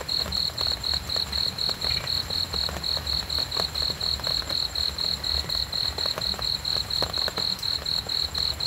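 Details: Continuous cricket song made of evenly spaced, shrill chirps at around four per second, with a quiet low rumble beneath.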